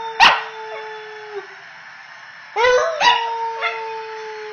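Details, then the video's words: Female Pembroke Welsh corgi, about 10 months old, finding her voice: a sharp yelp, then a long flat sustained howl, another cluster of yips, and the drawn-out steady howl resuming. "Singing corgi"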